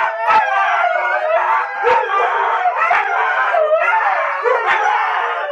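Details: Huskies wrestling in play, looking like fighting but only playing: dense, continuous harmonic howl-like yowls and grumbles, with sharp yips about once a second rising over the steady vocal din.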